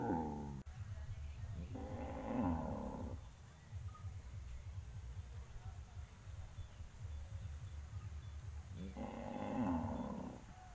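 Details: Farm cows crowding on a road before walking to pasture: a moo ending at the start, another long lowing call near two seconds, and a third near nine seconds, separated by quiet rumbling background.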